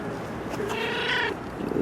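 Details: Stray cat living on the street, a tame former pet with bite wounds on its neck, gives a drawn-out harmonic meow lasting under a second, over low background hiss and faint street noise.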